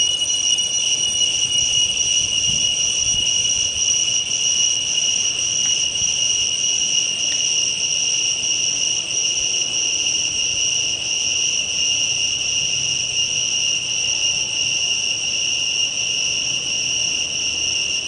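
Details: Cicadas singing loudly at dawn or dusk: a steady, unbroken high-pitched drone with two strong tonal bands, holding at even loudness throughout with no pauses or pulses, and no other clear sounds.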